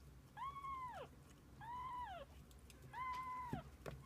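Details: Domestic cat with kittens, mother and young together through the day: three clear, even meows with rich overtones, each held flat then dropping at the end, about one every 1.3 seconds, followed by soft clicks and taps.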